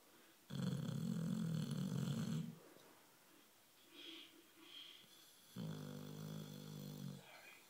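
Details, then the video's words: Nine-year-old male boxer dog snoring while dreaming: two deep, rattling snores of about two seconds each, about three seconds apart, with soft breathy sounds between them, recorded indoors. "Boxer dog Jack dreaming away snoring"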